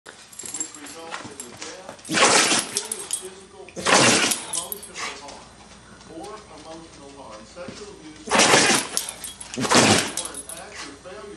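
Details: Murphy, a pet dog, sneezing repeatedly indoors: four sharp, hissing bursts in two close pairs, with a person's voice and background talk between them.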